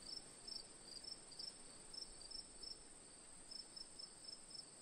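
Several crickets call together: one gives short, high chirps in little clusters, pausing between groups. Behind them runs an unbroken, thin, shrill trill that never lets up.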